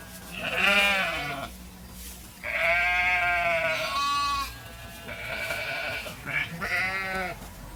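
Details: Sheep bleating in three bouts: a short wavering bleat, then a long, strong, quavering bleat of about two seconds, followed by two more drawn-out tremulous bleats, over a faint low background hum.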